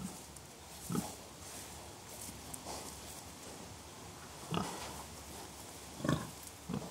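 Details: Contented pigs making gentle grunts: four short, soft, low grunts spaced irregularly across about seven seconds, separated by quiet stretches with a faint steady background hiss.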